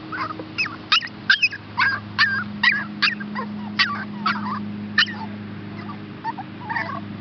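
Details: Two rescue pups up for adoption, Chihuahua and Shepherd hound, named Olive and Max: sharp high yelps and whines repeated about two or three times a second, uneven in rhythm, with a constant low hum behind.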